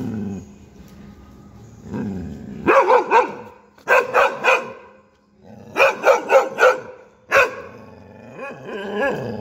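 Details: Two Labradors and a German Shepherd barking while out walking: loud, rough barks in quick bursts of three or four, separated by short pauses, with lower growly whines before and after the bursts.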